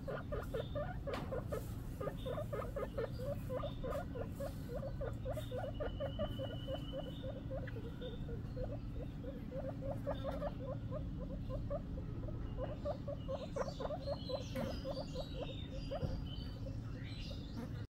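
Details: A baby guinea pig gives a rapid string of short, squeaky chirps nearly throughout, bursts of several notes separated by brief pauses, with a few higher, thinner squeaks near the end over a steady low hum.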